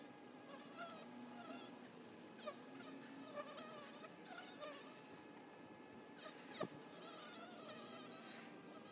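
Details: Honey bees at a hive entrance: a steady, low droning hum from many wings, with small bird chirps and twitters scattered above it and one sharp click near the end.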